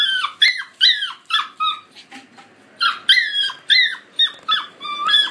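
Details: Young collie pups, 50 and 63 days old, recorded on 20 July 2013, let out bursts of shrill, falling squeals in quick runs, with a short quiet gap in the middle before the crying resumes.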